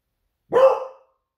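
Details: Smudge, a female pet Beagle, barks to raise the alarm, sensing her owner nearly home from surfing; one single sharp bark, loud and brief, fading quickly, in a quiet indoor setting.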